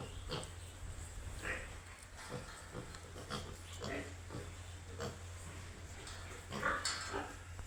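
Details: Young piglets at a farm: a busy run of short grunts and squeals, one louder high squeal near the end, over continuous low machine hum.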